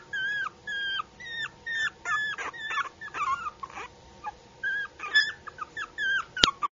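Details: A cute puppy whimpers in a rapid series of short, high, tonal cries, many with a quick upward or downward bend, repeated about every half second. There are brief pauses, and a sharp click comes near the end.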